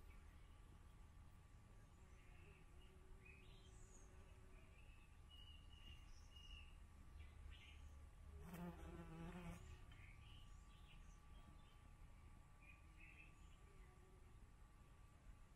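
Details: Bee filmed close up; a brief buzzy hum with stacked harmonics swells for about a second near the middle, set against faint bird chirps and a steady low background rumble.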